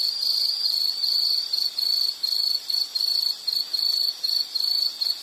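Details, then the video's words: Insect calling in quick high-pitched pulsed bursts, about 77 per minute, separated by short dips. The trill stays at one pitch throughout and is the only sound. "Sound · Nature Sound of nature sounds scenery L · insect"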